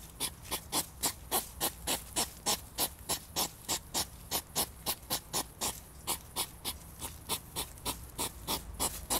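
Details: European hedgehog (Erinaceus europaeus), courtship snorting: mating.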